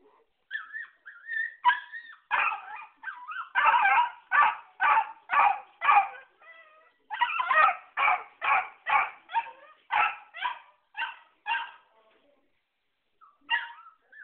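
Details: A small pet beagle barks wildly: harsh, sharp barks come in fast runs of about two per second, broken by short pauses, with a few thin, high whining yips at the start and near the end.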